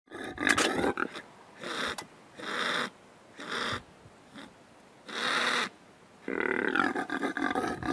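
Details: Male impala in rutting season, recorded 08.05.11: a series of harsh, noisy snorting roars in bursts of about half a second, with short gaps between them, ending in a longer rasping bout.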